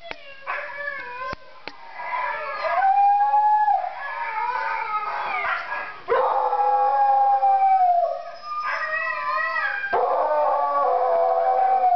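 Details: Stout pet beagle howling along to recorded singing huskies; long wavering tonal howls, rising and falling, in several drawn-out phrases with brief pauses, likely mixed with the huskies' howls from the playback.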